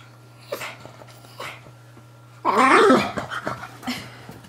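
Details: Pet pug named Moo Man fighting his new guinea pig toy from Ikea: two short soft snorts, then a loud, harsh, rasping growl-bark burst lasting under a second, followed by quieter grumbling huffs, over a steady low electrical hum.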